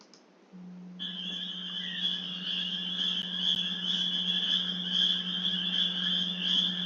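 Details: A dense spring breeding chorus of male spring peepers calling for mates in a Michigan wetland. High, piercing peeps blend into a continuous shrill ring, like jingling sleigh bells from a distance. This is the smallest native frog, with the loudest call.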